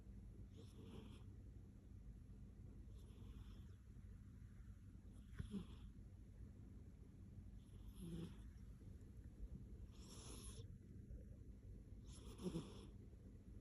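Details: A content cat yawning and snoring indoors: soft, breathy snore pulses recurring about every two and a half seconds, faint beneath a steady background hiss.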